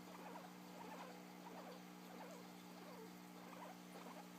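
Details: Guinea pig, described as yawning, making light squeaky chirps in loose repeated groups, with a persistent low humming background.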